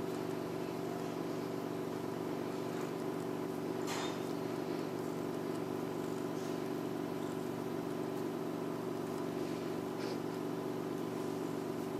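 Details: Steady engine drone of a vehicle with faint outdoor background noise.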